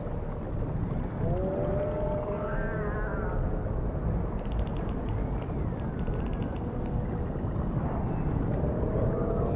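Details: Dolphins in the ocean, recorded underwater: drawn-out tonal whistles and moans sliding up and down, some rising steeply, broken by short bursts of rapid clicking pulses, all over a steady hiss and low rumble.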